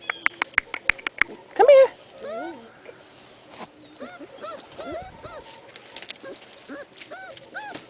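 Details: A dog whimpering because it wants to play: a run of high, arched whines that rise and fall, with one louder, strained whine just before two seconds. Sharp clicks come first, and a person calls softly in between.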